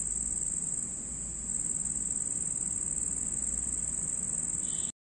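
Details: Nighttime red cricket producing a continuous high, insistent trill that softens briefly near the start, then cuts off abruptly at the end, with low hum beneath.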